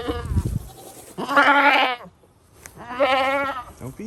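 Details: Two loud, quavering goat bleats from a portable goat farm, each nearly a second long with a strained, nasal edge, separated by a short pause; a brief low rumble comes before the first.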